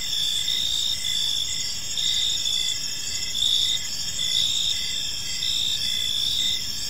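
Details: Crickets in a quiet park as evening falls, many high continuous trills stacked into a steady chorus, punctuated by regular short chirps, with soft distant ambient rumble.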